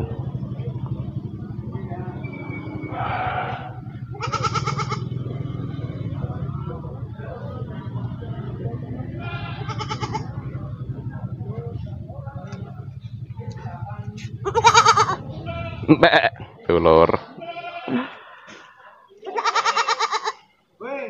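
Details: Goats at the Pasar Wage livestock market in Wadaslintang, Wonosobo, Central Java, Indonesia, in the morning: several loud, harmonic, wavering bleats break out at irregular intervals, mostly in the second half, over a steady low hum of engines and crowd murmur.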